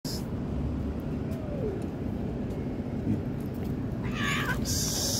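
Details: Cat in a setting of stray cats, where a kitten was attacked by a tabby, gives a short harmonic meow late in the clip, preceded by a faint thin tone, over a steady low rumble of traffic.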